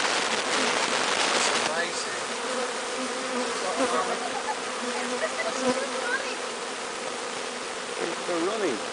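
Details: Honeybee swarm, captured from the top of a large tree, being walked into a new hive: a dense, steady hum of many bees fills the recording, with a man's voice faintly underneath.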